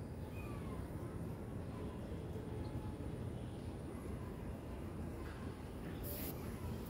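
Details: Continuous low rumble like a passing train, with a faint hiss and a short bright burst near the end; no animal sound.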